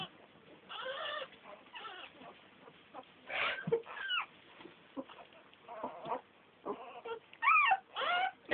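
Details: Ten young American Staffordshire Terrier puppies give scattered whiny yelps and squeals, some rising then falling in pitch, separated by short quieter gaps with faint background chatter.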